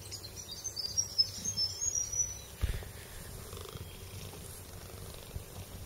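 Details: Hungry domestic cat wanting cat biscuits purrs in a low, steady rumble that pulses rhythmically, with faint high chirps early on and rustling plus a soft thump midway.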